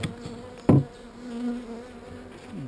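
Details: An open colony of not-so-angry bees, with a frame holding some brood being worked: an even low hum runs throughout, interrupted by a sharp knock from tools on wood, with a brief passing buzz at the end.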